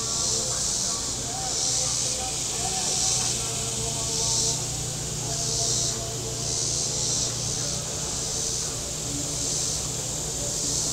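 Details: A warm-day cicada chorus on the Table Rock Lake shore in southern Missouri: a shrill buzz throbbing in waves roughly every second and a half, layered over humming boat engines and faint water sounds.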